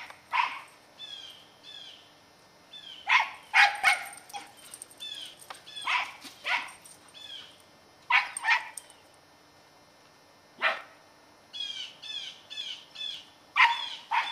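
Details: Ten-year-old female Scottie Katie barks while chasing squirrels toward a tree, November 2008. Her barks come in irregular single and paired bursts across the clip, and small birds chirp repeatedly in the gaps.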